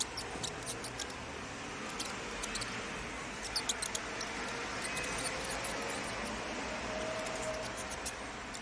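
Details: High-pitched squeaking of a mouse, tiny sharp chirps scattered in quick uneven runs across the whole stretch, heard over a constant low hiss with a few faint clicks.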